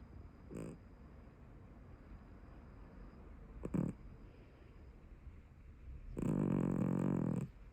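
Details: Brown tabby house cat snoring in its sleep: a short soft snort, then a brief rasp, then a longer, louder, grating snore lasting about a second, with near-silence between breaths.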